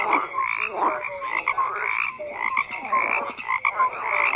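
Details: Croaking frogs in a crowded chorus: overlapping grating croaks, quick pulsed bursts and a few brief whistled notes, steady and loud with small surges in intensity.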